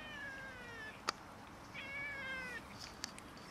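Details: Cats and a kitten quarrelling over food: drawn-out, wavering meows with a falling pitch, one around the start and another from mid-clip, separated by sharp clicks or taps.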